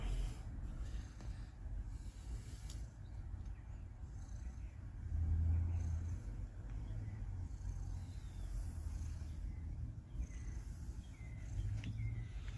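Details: Domestic female cat purring with approval while being petted; a low, steady rumbling purr runs throughout with gentle swells in loudness and a faint background hiss.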